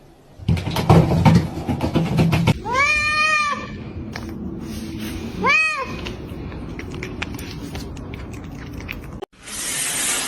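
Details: Two separate arched meows from a cat, each rising and then falling, spaced a few seconds apart, with rustling and background noise around them and a burst of hiss at the close.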